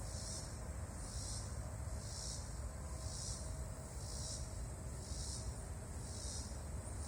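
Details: Loud sound of a huge bug: a sizzling high-pitched buzz swelling and fading rhythmically, seven even pulses roughly a second apart, with constant low background rumble.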